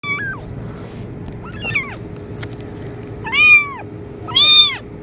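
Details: Kitten meowing, offered as a sound to attract cats: four high arched meows, the first two thin and brief, the last two louder and fuller, with a steady low hum underneath.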